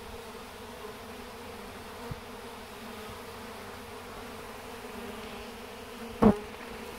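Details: A swarm of honey bees marching into a hive box, drawn by the scent of their queen; a steady low humming drone holds throughout, with a single sharp knock near the end.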